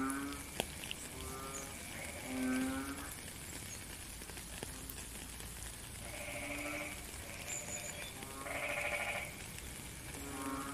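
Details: Frog calling in rain, recorded in nature: short, low, moaning notes with rich overtones, given in loose groups every couple of seconds, plus a higher buzzy note near the end, over a constant hiss of rainfall.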